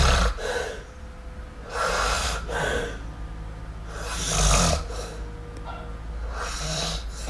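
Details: Kitten named MiuMiu snoring while asleep: broad breathy bursts roughly every one to two seconds, alternating louder and softer, with faint tonal traces between breaths.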